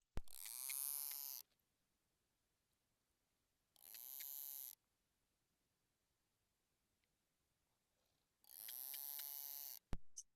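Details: A female narwhal gives three buzzy, harmonic pulsed bursts, a contact call resembling a beluga's, pausing between them in a conversational ebb and flow as if waiting for her calf to call back.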